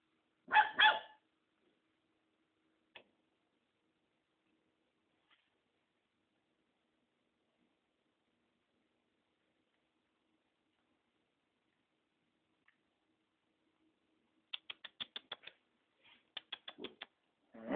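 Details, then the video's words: Mixed-breed pet dog named Tom barking indoors in a small room: a loud burst of barks at the start, then long silence with a few faint clicks, followed by a quick run of sharp yips and barks near the end. "Meu novo vira-latas - TOM!!"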